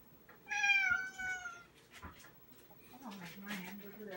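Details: Domestic cat trying to get another cat to play, indoors: one long, clear, harmonic meow that drifts slightly downward, followed by softer clicks and a low, wavering murmur.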